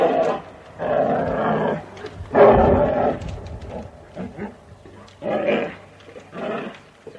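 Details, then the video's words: An American black bear gives a series of harsh, breathy moaning growls in several separate bursts. "the sound you just heard was that of the american black bear"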